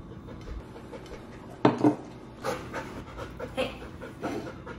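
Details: Bernese Mountain Dog named Benny, tested on whether he will steal food off the table, panting in soft rhythmic breaths about twice a second, with a sharper louder burst near the middle and quiet room background.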